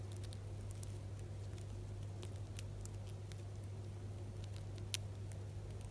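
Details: An albino Djungarian hamster named Dorian eats Jagariko, a Japanese snack. Soft, sparse crunching clicks come at irregular moments over a steady low electrical hum.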